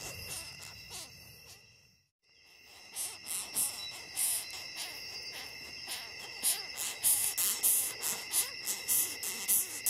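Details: Longhorn beetle producing rhythmic creaky, hissing squeaks after a brief silent break, the pulses growing stronger and more evenly spaced toward the end, a thin high tone running throughout.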